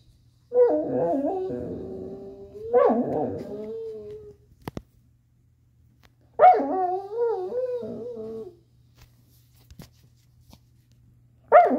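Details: A black Labrador-Coonhound mix named Chaco, a female, vocalizing while working to get her ball out: three drawn-out, wobbling whines with yelping breaks, each a few seconds long, separated by pauses and faint knocks.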